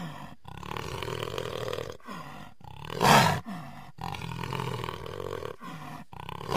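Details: A jaguar voicing long, hoarse, moaning roars broken by brief silent gaps, with one sudden harsh, louder blast midway through the series.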